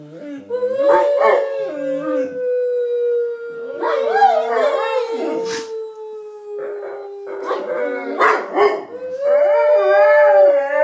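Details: Two Bullmastiff dogs singing together to noises being made. Overlapping drawn-out howls rise and fall, some wavering and yodel-like, others held level and slowly sinking. Brief human voices mix in between.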